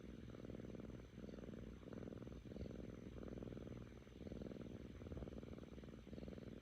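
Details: A pleased female Korean shorthair, Kkami, aged seven months, purrs close by: evenly spaced rumbling phrases, about ten breaths each lasting roughly two-thirds of a second, with no other sounds.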